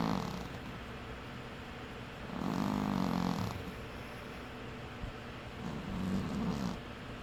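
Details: Domestic cat snoring in its sleep, two low buzzy rasping breaths a few seconds apart, the first longer and louder, against a steady soft background hiss.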